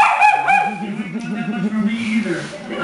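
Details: Pet dogs at home during playtime, one giving high wavering whimpers and yips that rise and fall repeatedly, with a person talking in the background.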